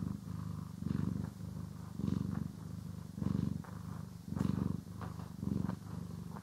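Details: Pet cat purring while being groomed and brushed, recorded in stereo indoors: a steady low rumbling purr swelling and fading with each breath, about once a second, with faint brushing ticks above.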